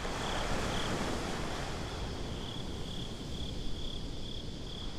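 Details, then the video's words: At night by the beach, crickets give a thin, high pulsed chirping that grows steadier toward the end, over a dense background of rolling surf. Binaural recording. "Crickets at the Beach"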